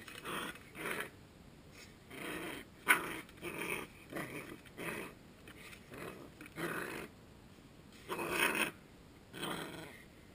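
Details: Coton de Tulear puppy Suki attacking and dancing in play, giving a steady stream of quiet, rasping growls and grumbles in short bursts, recorded close in a small room.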